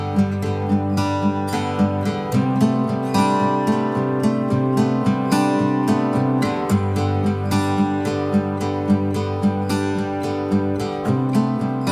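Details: Strummed acoustic guitar music with a steady plucked rhythm and no animal sound.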